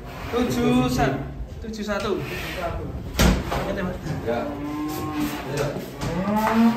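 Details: Cattle being loaded onto a truck that overturned during loading: several low, drawn-out moos rising and falling across the clip, with human voices and a thud of handling noise mixed in.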